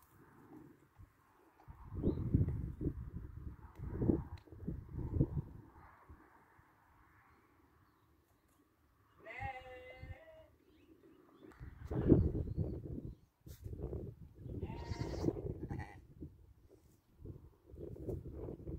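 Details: Ewe that gave birth twice within one year, 2021: a wavering, harmonic bleat near the middle, then a shorter, fainter bleat later, set among low thumping, rustling and handling noises.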